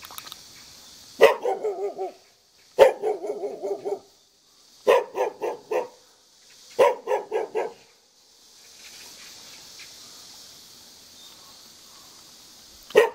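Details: Jindo dog living in the front yard of a hanok building in Jeonju Hanok Village, North Jeolla Province, Korea, barking in four quick bursts of three or four rough barks each, pausing between bursts, with a final single bark after a quiet stretch.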